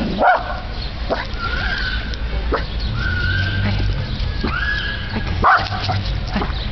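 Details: Dog that dislikes trash bags, barking at one: scattered sharp barks at the start and end, between them long level whining tones, over a steady low rumble.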